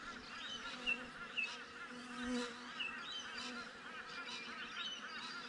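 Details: Bees at a beehive, caught by a GoPro set outside it: a continuous low hum with wavering buzzes of bees passing near, a louder swell midway, and scattered faint high chirps behind.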